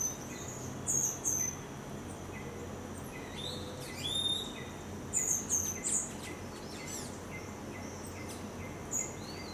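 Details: A three-week-old baby Geoffroy's tamarin (Saguinus geoffroyi) gives thin, high chirps and short rising whistles at scattered intervals; these are infant calls.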